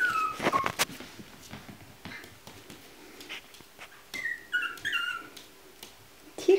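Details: Chihuahua puppies indoors at a breeding kennel; brief high squeaky whimpers that slide downward, one burst near the start and a cluster midway, amid soft rustling and handling noises.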